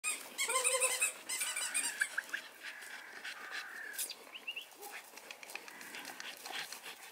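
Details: American Bully dogs at a kennel in Romania: a quick run of high, harmonic yelps and whines packed into the first two seconds, then softer scattered whimpers and rustling noise in an indoor setting.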